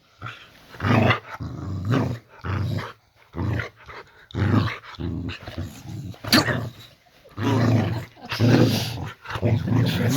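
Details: Layla, a pet Boxer dog, indoors in a bedroom at night while her owners lie in bed watching a film; rough low growling bursts with sharp bark-like outbursts, repeating about once a second with short silent gaps.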